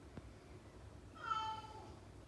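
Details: Aspen, a Siberian Husky kept indoors, whines while seeking attention and interrupting her owner's reading; a single brief, tonal whine of under a second rises and then slides down, rich in overtones, in a quiet room.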